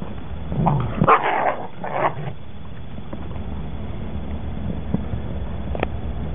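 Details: Eleven-week-old working line German Shepherd puppies, one of a litter of nine: a few high, yappy barks packed into the first two seconds, then a steady low rumble of background noise with only faint ticks.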